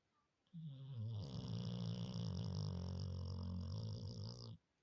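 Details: A Labrador Retriever asleep and snoring loudly like a person; a single long, low, rattling snore lasting about four seconds, steady and buzzy throughout, in a quiet room.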